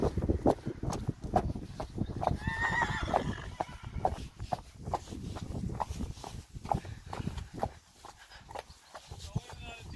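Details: Friesian horses, three two-year-old fillies named Elbrich, Eefje and Frieda, turned out to pasture again in spring; a harmonic whinny rings out near the start amid human speech and the clatter of hooves.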